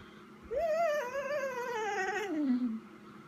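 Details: Vizsla Chica at home on 12/18/14 waiting for its owner: a single long plaintive whine that starts fairly high, wavers, then slides steadily downward over about two seconds before trailing off.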